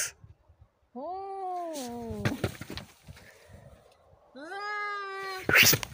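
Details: Two cats in a fight: a sustained, slightly falling wail, then a sharp spitting hiss, a second drawn-out howl, and a loud explosive spit at the end.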